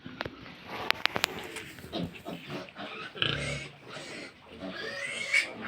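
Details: Farmed pigs at feeding, overlapping grunts and drawn-out shrill squeals, with clattering knocks early on and people talking nearby.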